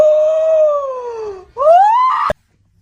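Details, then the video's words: Kitten meowing: one long drawn-out tonal cry that slowly falls in pitch for about a second and a half, then a short rising second cry that ends abruptly. The background is otherwise quiet. "Kitten meowing"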